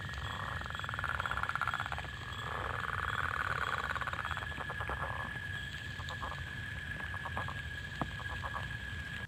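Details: A leopard frog's spring call, played as an identification clip and likened to a wet finger rubbed on a balloon: grating, snoring rattles, then short runs of rapid clucking pulses, over a thin steady high hum.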